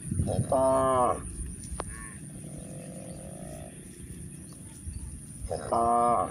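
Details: Cows grazing in a village pasture, with a short moo at the start and another at the end, separated by a quieter stretch of faint murmuring and field noise.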